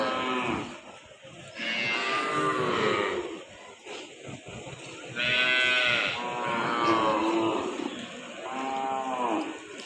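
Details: Cattle at a cattle and buffalo market in Amraid, Bangladesh, including crossbred calves and Sahiwal crosses; several drawn-out harmonic moos follow one another, each lasting about a second or more, with faint market voices behind.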